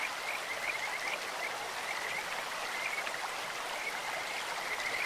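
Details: Kajika frogs calling from a stream, giving scattered bursts of quick, high, chirping pulses at an even pitch, heard above constant broadband water noise.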